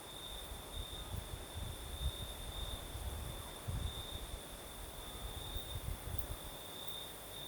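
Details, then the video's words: Crickets singing at night in southern Crimea with a night breeze: a steady, unbroken high trill holding one pitch, plus a fainter higher band, over gusty low rumbling of wind that swells and fades throughout. "Сверчки поют"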